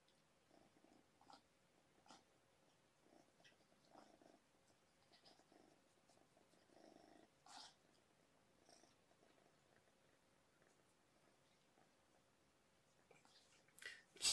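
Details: Two kitten sisters, believed to be littermates found by a roadside and taken in by a rescue, purring contentedly indoors during an evening visit; a soft steady purr runs throughout with faint scattered rustles and handling noises, a louder bump at the end.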